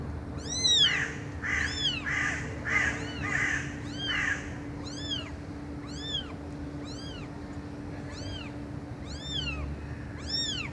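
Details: Cats meowing loudly: high, thin, arched mews repeated roughly once a second, overlapping rougher calls in the first few seconds, over a steady electrical hum and background hiss.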